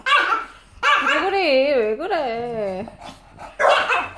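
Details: An English Bulldog having its nails trimmed, 4 January 2018, gives a long, wavering whine rising and falling in pitch between short bursts of human voices, and chews the owner's hand.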